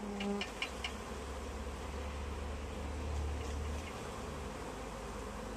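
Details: Many honey bees of a swarm perched in a tree during capture into a bag; continuous loud buzzing hum, with brief tonal chirps and a tap in the opening second.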